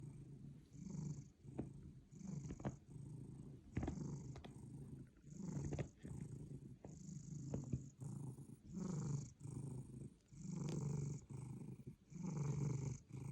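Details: A sleeping cat snoring very loudly: deep, rasping low breaths in rhythmic bursts about every two seconds, each swelling and fading, with a few faint clicks between breaths.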